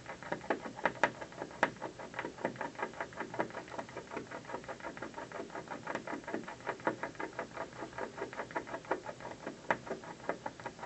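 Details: Afternoon gnawing by a squirrel on an office building windowsill, a steady run of crisp scratchy bites, dense and uneven in spacing, continuing without pause across the whole stretch.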